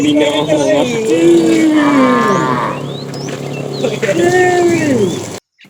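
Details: Cattle being herded in the afternoon, a fat cow calling the female: several overlapping, wavering lowing calls that slide up and down, with background chatter and birds, ending abruptly.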